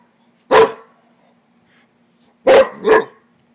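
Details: Rottweiler reacting to a frog with three loud, sharp barks: a single bark, a two-second pause, then a quick pair close together; no other sounds.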